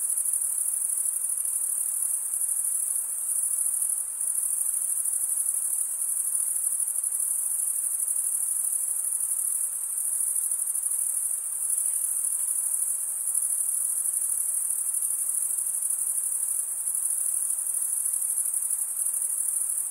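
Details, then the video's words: Crickets of a summer forest at night keep up a seamless high, glassy trill for the full stretch, barely varying in loudness, with faint low hiss and nothing else distinct. "Pure cricket music for 20 min"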